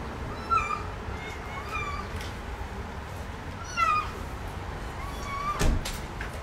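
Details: Rescued motherless kittens playing in a house, giving thin high meows spaced a second or more apart, each with bright harmonics, plus a sharp tap near the end and low room noise.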